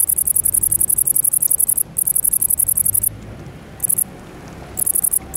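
A great green bush-cricket sings a very high, rapid, ticking buzz in long bursts broken by brief pauses.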